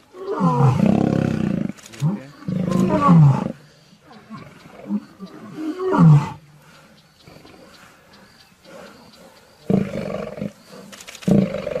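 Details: Lion giving separate low, grating roars with falling, moaning tones, spaced several seconds apart, with quiet stretches and a faint steady high hum between them.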